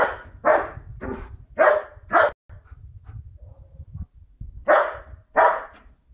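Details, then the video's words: White Swiss Shepherd Tina barks at people walking a dog behind the wall; a burst of five quick harsh barks, a pause with low rumbling noise, then two more barks. "Tina running about and barking. White Swiss shepherd, Beli Švajcarski Ovčar, Beli vučjak"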